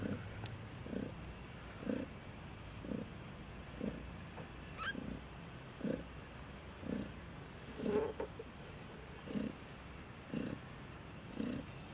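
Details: Maine Coon with newborn kittens in a single-breed cattery in Saint Petersburg, Russia: soft low pulses repeating about once per second, an even breathing-paced purr with a faint higher squeak near the middle.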